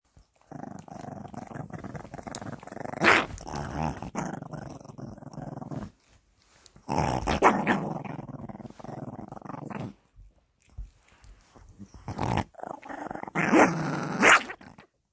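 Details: Angry Shih Tzu puppy growling in three long rumbling bouts of several seconds each, separated by short pauses, with sharper snarling bursts near the end, indoors.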